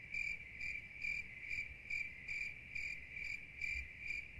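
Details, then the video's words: Cricket calling with shrill, ringing pulses in a regular rhythm of roughly two chirps per second, constant pitch, soft low noise beneath. "30mins of Soothing Cricket Sounds"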